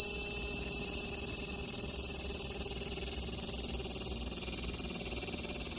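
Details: Large brown cicada producing a steady, high, frying sizzle that holds without a break throughout, with a fast, even flutter inside the buzz.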